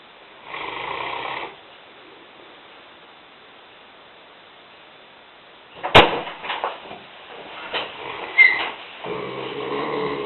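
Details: Asleep on a kitchen floor, Lena, a 150-pound, five-year-old Newfoundland bitch, gives a hoarse snore. A long pause follows, then a sharp knock and some rustling, and a final rasping snore closes the stretch.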